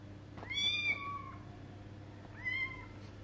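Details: A 20-day-old kitten meowing as it tries to go outside for the first time: two high, thin meows, each rising then falling with bright harmonics, the first drawn out, the second shorter after a pause, over a steady low hum.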